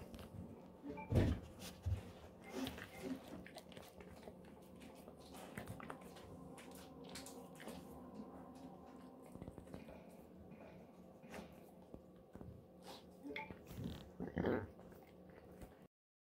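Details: Golden Retriever named Moko gnawing a pig ear snack indoors: irregular crunching and grinding crackles throughout, with louder crunchy bursts near the start and toward the end, over a steady low room hum.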